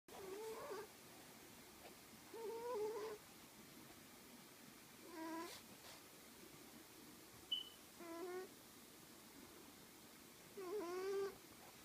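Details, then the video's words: Sherlock the cat snoring: squeaky, whistled nasal tones with stacked overtones, each under a second long, wavering or rising slightly, recurring about every two to three seconds in a quiet room. "Sherlock snoring"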